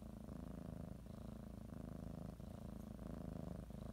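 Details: Domestic cat purring while kneading and biting a blanket as it prepares for a morning nap; a steady low rumbling purr, continuous with slight breath-linked pulses and no other clear sounds.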